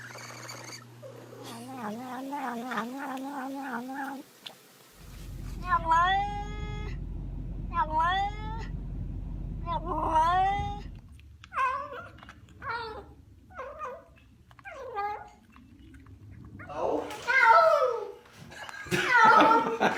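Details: Domestic cat making weird noises, from a compilation: a string of drawn-out, wavering yowling meows, repeated about once a second, with abrupt cuts between scenes, a low steady hum in the first half and harsher strained cries at the end.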